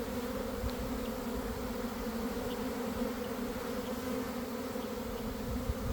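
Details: Honey bee swarm forming in a garden in the early afternoon after cold, wet weather: an even, unbroken low hum of many bees with no distinct close passes.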